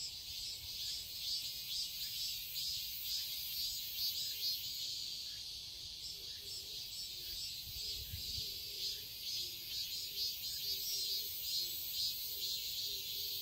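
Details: Summer cicadas in a garden in Seoul, Korea, giving a continuous shrill buzzing chorus that pulses gently throughout, with a faint lower murmur partway through.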